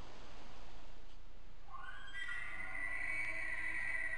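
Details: Bull elk bugling in fall on public land, a rising whistle that climbs high and holds as a shrill ringing tone, recorded by a trail camera in 2016.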